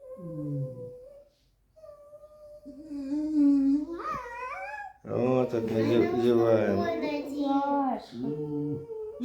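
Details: Red fox kept as a pet indoors, grumbling in protest, utters long steady whining squeaks rich in overtones, then a sharp rising squeal, before a woman's talking overlaps and a brief final whine ends it.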